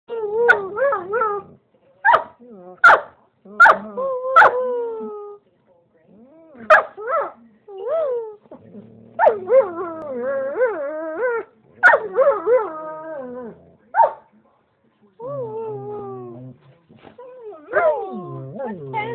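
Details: German Shepherd male in a home, talking and howling along with his owner: a run of short whiny yelps and warbling moans, rising and falling, in bursts with brief pauses, with human voices mixed in.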